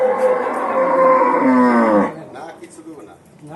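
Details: A newly bought cow being taken home from a farm before Qurbani Eid gives a long, loud, drawn-out moo that sinks in pitch at the end.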